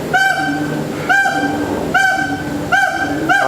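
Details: Loud calls from captive gibbons at Singapore Zoo: strong, hooting whoops rich in harmonics, each one swelling and then falling, repeated roughly every second in a steady series.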